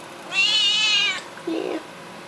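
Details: Young Seal Point Siamese male, probably upset, lets out a loud drawn-out high meow lasting nearly a second, steady and strongly harmonic, followed by a short lower human voice.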